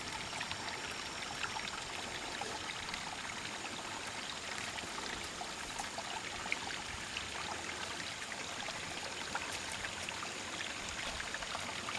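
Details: Steady rushing of a mountain stream at a hillside goat pasture, a broad even hiss of trickling and pouring water throughout, with no animal calls heard.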